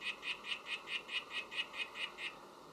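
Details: Oophaga sylvatica calling: ten quick buzzy chirps in a rhythmic run lasting just over two seconds, then silence; high, even notes over soft background noise.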